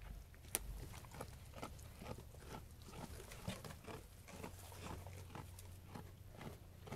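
Sheep chewing food, with steady crisp crunches and rustling bites repeated about every half second.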